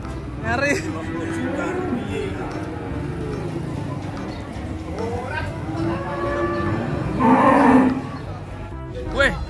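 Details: Cows coming down off a truck: scattered lowing, with one strong, drawn-out moo near the end and other brief bellows, over people's voices, music and vehicle-yard noise.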